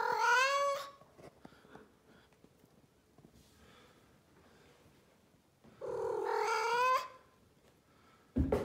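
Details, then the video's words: Female blue Maine Coon cat indoors, vocalising in a talking manner: two long, loud, wavering meows, the first about a second long, the second rising then held for over a second, with a quiet gap between and a sharp knock at the end. "Talking Cat ( Blue Maine Coon )"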